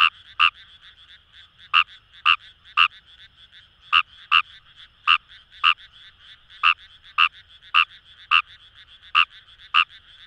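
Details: Kawamura's rice frog calling in paddy fields beside the Kamo River, Itoshima, Fukuoka Prefecture, Japan: about sixteen short, sharp croaks in ten seconds at uneven intervals, over a steady buzzing chorus of distant frogs.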